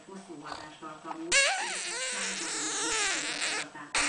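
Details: An 8-week-old female French Bulldog puppy gives a wavering, breathy whine that bends up and down in pitch.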